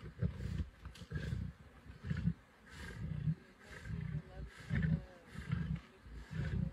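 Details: Nkuhuma lion pride feeding on a buffalo kill in the Sabi Sands, near Kruger National Park, on 24 December 2023; deep, rough growling bursts repeat roughly every second with short pauses between.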